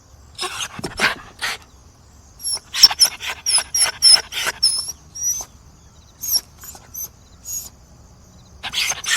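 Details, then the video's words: Dog, described as begging, giving rapid high-pitched yips and squeaky cries in irregular bursts, some with thin whistly overtones, separated by short pauses. "SOUND OF DOG BAGGING BARKING DOG"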